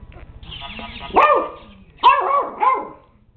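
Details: JJ, a puppy dog, barking at a robot dog: a soft lead-in, then three short, yappy, high-pitched barks, one alone and two quickly paired near the end.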